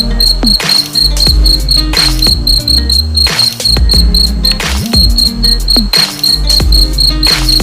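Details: Cricket chirping as a steady high pulsed tone, about four short pulses a second, with a few brief pauses, over loud low rumbling and warbling background sounds.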